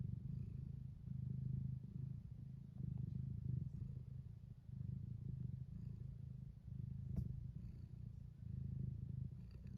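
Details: Low, steady purring from a tuxedo cat asking to be petted, rumbling in even cycles of inhale and exhale, roughly one breath every two seconds, with a faint click partway through.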